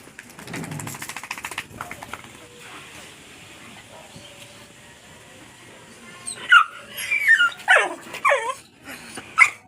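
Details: Five-month-old Aspin puppy taking a bath with another dog and a dachshund puppy: after a stretch of low speech and background noise, a burst of high, wavering whimpers and yelps, rising and falling, repeated several times.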